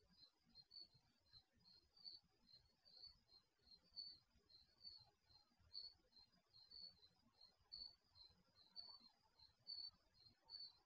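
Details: Crickets chirping at night, picked up by the microphone of an HD security camera installed in a garage; thin, high-pitched chirps repeat steadily about twice per second over a faint, low background hiss.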